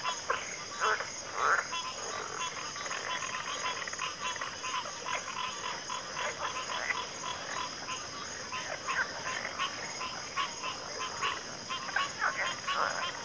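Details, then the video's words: Frogs calling in chorus, with bursts of harsh croaks swelling and fading against a continuous shrill insect buzz. "Frog Chorus"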